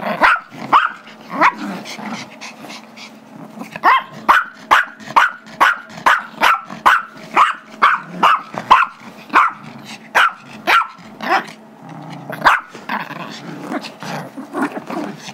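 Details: Pet Chihuahua/Yorkie mix, Gizmo, aged five, yapping while playing tug over a squeaky toy with Tigger, a younger Yorkie, February 2011; a long run of quick high-pitched barks, roughly two per second, with brief pauses.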